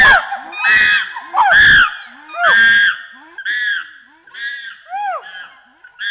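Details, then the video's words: Loud chimpanzee screams and barks: piercing, arching shrieks alternate with sharp barking calls in uneven bursts roughly once a second, with lower grunting sounds between them. "Chimpanzee. Pant Hoot Developing Into Loud Screams & Clean Barking. Panting & Gr"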